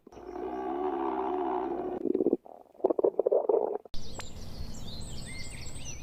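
A wolf's belly gives a long, steady, droning rumble, then breaks into irregular gurgling pulses. In the last couple of seconds, small birds chirp and twitter in the background.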